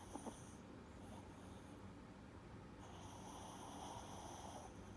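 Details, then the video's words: Four-year-old blue-haired Chihuahua Lucky, prone to reverse sneezing, snores in his sleep: faint, airy, hissing breaths come in two slow waves over low steady background noise. "Lucky the dog snoring"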